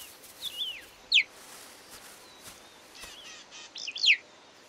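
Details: A cheetah mother on the savanna gives two sharp, bird-like chirps about three seconds apart, each a quick high downward slur, with faint thin whistles between, calling her wandering cubs back.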